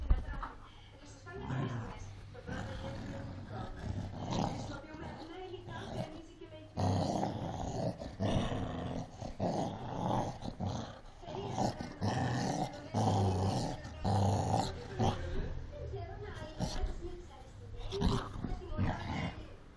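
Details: Cocker Spaniel. A Cocker Spaniel growls in deep, rough rumbles that swell and break off in uneven bursts, the sound of a dog fighting. People talk over parts of it.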